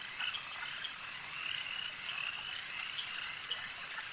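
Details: A continuous chorus of frogs by a lake: shrill, pulsing croaks from numerous animals blend into a steady high drone, broken by a few brief, sharper accented calls.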